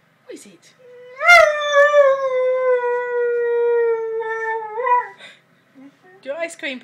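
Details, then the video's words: Lurcher dog singing, as it does daily when the ice cream man arrives: one long, steady, harmonic howl held about four seconds, ending in a brief upward wobble, with a person speaking softly just before and after. "Lurcher singing to the ice cream man"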